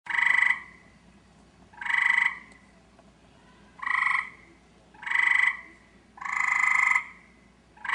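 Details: Eastern gray treefrog calling for a mate in a backyard: loud musical trills, each about half a second to a second long, repeated roughly every one and a half seconds with quiet gaps between.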